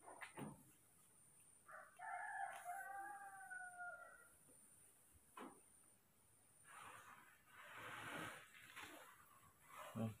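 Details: Baby monkeys Moni and Mino excited for their morning milk: a wavering, plaintive tonal whine of about two seconds, then broadband rustling and handling noise and a loud knock at the end.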